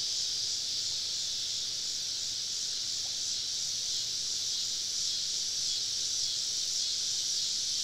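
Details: Many cicadas in deep woods on a southern summer evening during a camping trip, producing an unbroken high, rasping drone with gentle swells in loudness and nothing else clearly audible.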